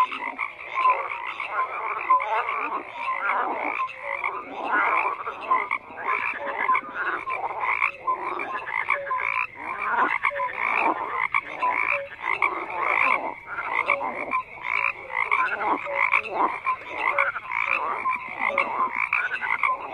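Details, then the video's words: Frogs croak in a crowded nighttime-style chorus, rhythmic raspy bursts overlapping densely, with scattered short tonal notes and a steady bright upper layer, no other animals or noise standing out. "FROGS CROAKING"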